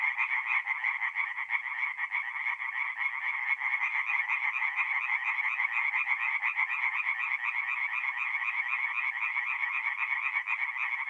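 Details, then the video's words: Night chorus of tree frogs at a forest pond, north-eastern Italy, mid-April: a thick wall of fast, overlapping nasal croaks pulsing steadily for the whole stretch, no other sounds. "relaxing forest pond by night with singing tree frogs"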